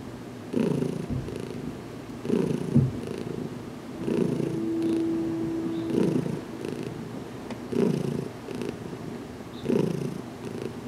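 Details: Heidi the cat, newly settled and gradually accepting touch, purrs through a head massage in a closet; rhythmic low purring with breaths swelling every couple of seconds and a faint steady tone in the middle.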